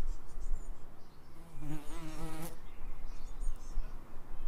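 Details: Bees buzzing in an Edinburgh suburb: one strong droning pass swells around the middle then cuts off, set against a steady low rumble and faint higher hiss.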